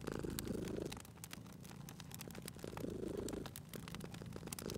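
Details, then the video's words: Cozy cat purring near a crackling hearth; two rounded swells of low buzzing purr, separated by a quieter breath, while bright snapping crackles of the fire pop repeatedly. "Cute Purring Cat at a Crackling Fireplace"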